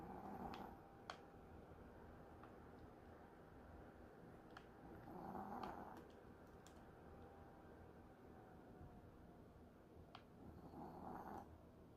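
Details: Sleeping dog snoring softly indoors while resting during a holiday break, with slow breathy snores about every five seconds over a quiet room hiss and a few faint clicks.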